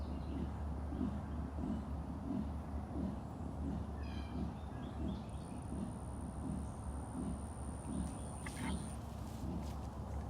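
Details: A male leopard at Big Cat Rescue calls with deep, rasping grunts repeated in a steady rhythm, while a keeper talks nearby.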